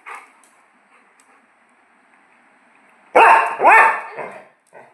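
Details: Pet Labrador Retriever during play time, playing catch, giving two loud, sharp barks about half a second apart after a quiet stretch, with a short trailing yelp; a faint human voice at the very start.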